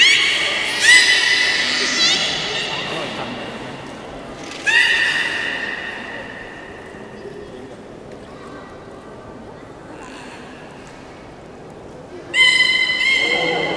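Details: Beluga at the Port of Nagoya Public Aquarium, public training session, 18 July 2016, 13:30: three separate harmonic squeals that rise then hold steady, spaced several seconds apart, with talking and hall ambience between them.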